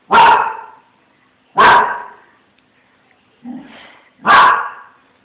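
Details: Small Münsterländer barking at a cat it has spotted: three sharp, loud barks spaced over about five seconds, with a brief low whine-like sound before the last bark.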